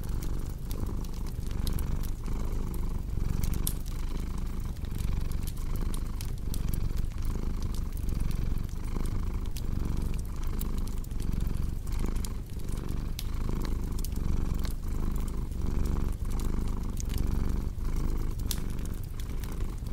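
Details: Long, unbroken cat purr, low and rhythmic, rising and falling with each breath about once a second, mixed with constant crackling from a wood fire.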